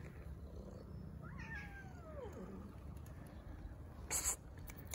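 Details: A stray cat, one of several black and calico strays being fed, gives one long meow that slides steadily downward for over a second. Low rumbling background noise and a short clatter follow near the end.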